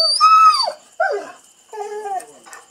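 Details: Female Rhodesian Ridgeback making a fuss: three whining cries, the first high and bending downward, the next two shorter and falling, with brief pauses between them.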